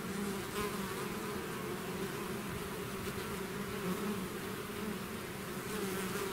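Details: Bees swarming out of the hive make a continuous low buzzing drone, thick and even, with a few soft crackles now and then over the hum.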